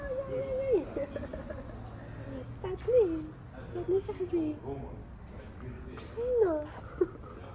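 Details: Stray male cat on a street in Morocco, keeping a calico cat from coming near him; a series of drawn-out, rising-then-falling meows, several within seconds, with a person talking softly between them and low traffic rumble behind.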